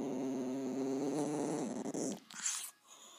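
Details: Bowie, a dog, gives a low pulsing growl for about two seconds that fades out, followed by a brief burst of higher rustling noise.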